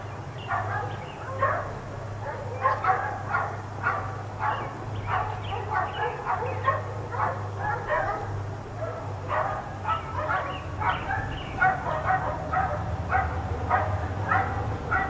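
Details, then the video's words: A pack of four dogs left outdoors all day barks almost nonstop, with quick overlapping yaps in dense bursts and brief lulls, set against a steady low droning hum. "4 Dogs Barking Allday"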